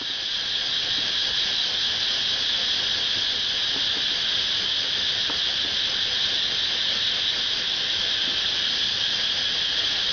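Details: Cicada recorded in front of a house in Pathum Thani, Thailand, producing a steady, unbroken high-pitched buzzing drone with no pauses, constant in loudness throughout.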